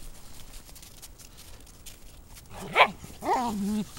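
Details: Two dogs, a Dachshund and a Rottweiler, playing and wrestling. After two and a half seconds of quiet rustling, one sharp bark rings out, then a longer tonal yelping whine that bends down in pitch and fades.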